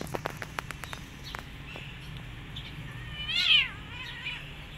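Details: Mother cat nursing her kittens and hitting them after they bite her during feeding. Soft clicks and taps come first, then one short, strained meow that rises and falls, over low background hum.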